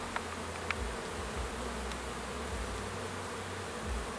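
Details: Busy honey bees buzzing during the orientation flight of newly graduated foragers, with others clearing up cappings; low continuous humming drone, brief clicks near the start.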